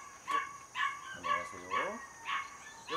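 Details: Border Collie puppy, 77 days old and born 5 July 2024, raised in a home; bright, clipped yelping barks repeat roughly twice a second, with a human voice rising and falling underneath.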